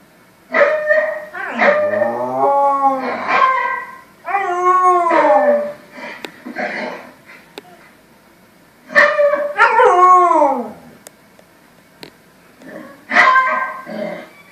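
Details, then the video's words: A Samoyed howling at the TV: long, quavering, arching howls in several drawn-out bouts with short pauses between them, some yipping notes, and faint television sound in the background. "Samoyed howling at tv"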